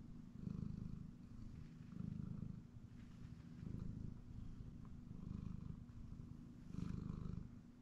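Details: Male pet cat dozing on a comfy chair in the home, rumbling purr pulsing low and rough, growing louder about every one and a half seconds with each breath cycle, a soft tick or two in the quiet room.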